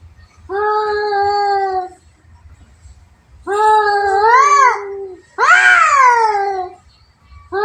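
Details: Two cats in a fight trade long moaning growl-yowls in a small room, three sustained bursts that waver and climb into a higher, strained wail before breaking off.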